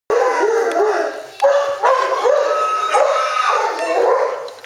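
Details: Male Spartan dog puppy, four and a half months old, kept at a kennel, giving a run of drawn-out, wavering howls that rise and fall in pitch, several overlapping phrases in quick succession with brief breaks between them.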